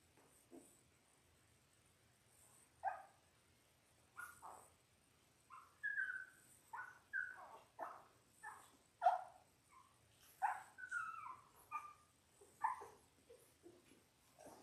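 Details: Whimpering from a litter of six Labrador Retriever puppies, ten days old, born January 18, 2022, on a live puppy cam: irregular bursts of short squeaky whines and yelps, sometimes several a second, rising and falling in pitch.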